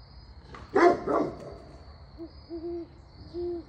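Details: A Great Pyrenees livestock guardian dog on a farm in Knoxville, Tennessee, gives two deep, rough barks to drive off owls threatening the pygmy goats it guards.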